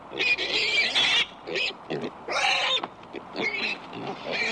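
A pig gives harsh, shrill squeals in bursts, mixed with rougher grunting noises.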